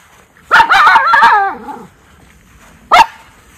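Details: Miniature Schnauzer Lucky alerts his brother Levi to someone nearby, Aroostook County, Maine, July 2022: a quick stutter of sharp bark onsets sliding into a wavering, falling yodel-like whine, then one short single bark after a pause.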